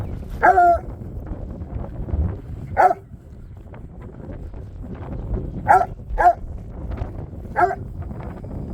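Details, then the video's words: Dogs barking at a bare piece of ground where nothing is seen, sharp single barks spaced one to three seconds apart, some in quick pairs, over a low rumbling background. "Barking at nothing."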